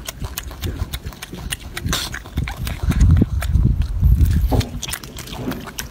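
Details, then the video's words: Golden monkey eating, with quick wet smacking and crunchy chewing clicks repeated at a fast, uneven pace over a heavy low rumble, louder in the middle of the clip. "Golden monkey is yummy eating"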